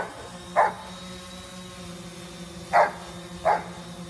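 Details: Giant Schnauzer named Coco Bear barking while chasing a drone: three short sharp barks, one alone then a close pair about a second apart, over a steady low drone hum.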